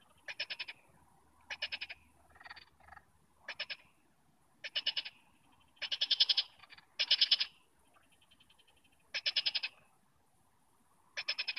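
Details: Several frogs near Nantes, France, giving loud pulsed rattling croaks in bursts of about half a second, spaced irregularly one to two seconds apart, with softer answering calls between them.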